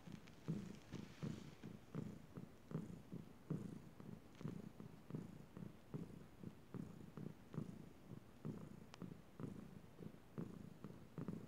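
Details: Chilali, a pet cat, purring at bedtime: a steady low rumbling purr pulsing in regular breaths, a bit over one per second, with faint clicks in a quiet room.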